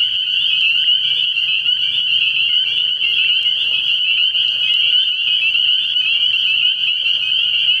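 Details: Spring peepers calling at night from a frog pond early in the year: a dense, unbroken chorus of high, shrill peeps merging into a steady ringing band, with many overlapping callers and a faint low hum beneath.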